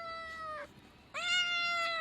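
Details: Meows from a young male cat kept as a pet: two steady, level mews, the first fading out sharply, a short gap, then a louder second meow with a rising onset held to the end.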